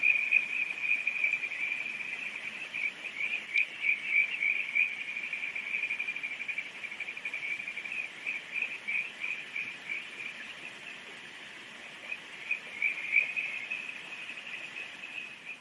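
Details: Kajika frogs along the Oguro River at Takasawa, Yasuzuka, in July. Overlapping high trilling pulses rise and fall continuously above a constant rush of river water.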